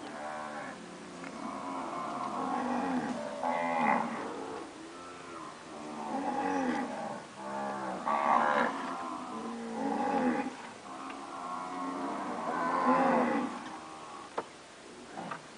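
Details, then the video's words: Several recently calved Nelore cows of purebred standard keep mooing, overlapping one another. The deep, wavering moos swell and fade about every two seconds with barely a pause, and a couple of sharp clicks come near the end. "Vacas nelore padrão (POs), paridas."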